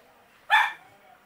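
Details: One-day-old Miniature Pinscher puppy from a Q litter, a single short squeaky yelp with a harmonic stack, lasting about a quarter second in otherwise quiet surroundings.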